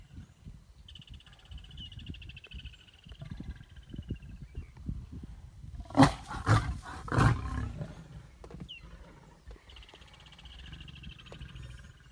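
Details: Lions in a stand-off growl in deep, rumbling runs broken by harsh snarling bursts, while a high buzz drones behind.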